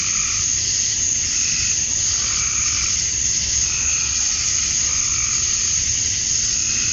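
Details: Summer-dusk chorus of male cicadas in Georgia, USA, calling to draw females: continuous shrill, hissing buzz held at one level throughout, with soft rising and fading pulses beneath the main high drone.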